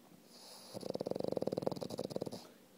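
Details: A French Bulldog asleep on his toy snores with a single rattling, fluttering breath that rises and fades. French Bulldog.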